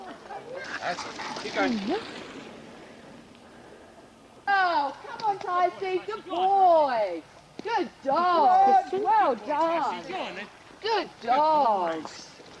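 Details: Huskies at a sled dog race weekend in the Forest of Dean, November 2001, taped on VHS: excited, high, wavering howls and whines rising and falling in repeated bursts, with a voice speaking early on.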